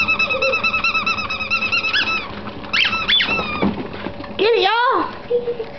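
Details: Ferrets at play indoors during a workout session, giving bright, high squeaks in quick repeated bursts of rising and falling tones, with a person talking and laughing nearby and a few soft thumps.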